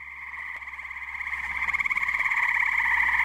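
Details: Muggy night at a New Jersey pond, tree frogs in full chorus: a steady high pulsing trill building in loudness, individual rapid pulses growing sharper toward the end, with a faint low hum underneath.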